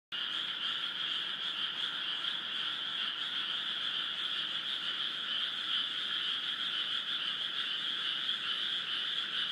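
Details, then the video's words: Frog chorus in Esaka, Suita, north of central Osaka, recorded in 2015: a dense, continuous overlapping trill forming a steady high-pitched wall of sound with two bright bands, unbroken throughout. "カエルの大合唱2015 Frog's Cry"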